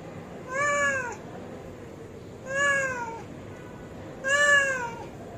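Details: Hungry cat meowing three times, each meow a drawn-out, slightly falling tone with rich harmonics, spaced about every two seconds, over a faint steady background hum.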